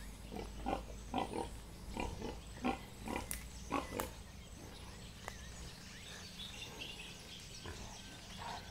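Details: Wild sow in a forest confronting a boerboel dog that tried to play with wild pigs, giving a series of short rough grunts roughly every half second, then quieter; faint rustling in the background.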